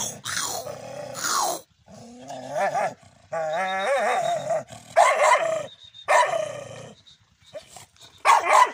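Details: Angry dog, described as a big hungry street dog, barking and growling in harsh, drawn-out bursts, several lasting over a second, with short gaps between loud rough outbursts.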